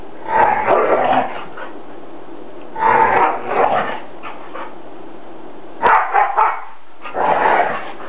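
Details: Dogs howl while play fighting in a living room, four loud, rough, wavering bursts roughly a second long with a faint tonal whine inside, spaced by short quiet gaps.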